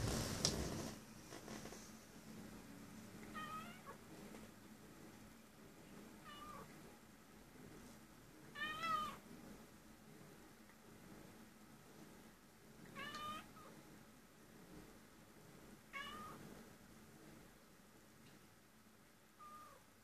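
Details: Cat crying in short, fairly soft meows repeated irregularly every few seconds across the stretch, some rising and falling, with a thump at the start and low room hum throughout.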